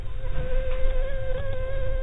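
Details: Anopheles arabiensis mosquito in flight, a played-back example: a steady, thin whine holding one even pitch with faint higher overtones, over a low rumbling background.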